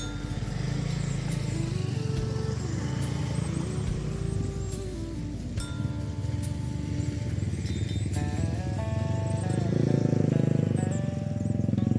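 Music plays over a steady low engine rumble, with no animal voice anywhere.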